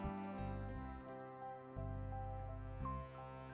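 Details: Gentle, tender instrumental music plays with sustained low notes and soft melodic tones. No animal voice can be picked out beneath it.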